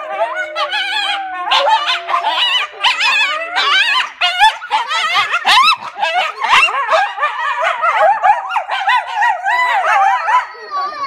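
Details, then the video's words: Coyotes in an enclosure at The Alaska Zoo answer children's howls with a frantic group chorus. Sharp, high yips and bending, quavering howls pile up continuously, loud and tangled throughout, fading slightly at the end. "Kids howling with the coyotes"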